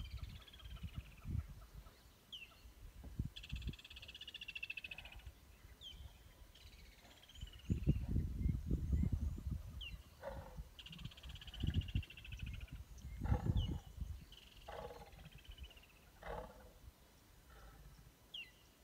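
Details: Growling during a stand-off between lions, heard as short low rumbling bursts with a longer throaty growl midway and another near the end; whistled and trilled birdsong runs through the background.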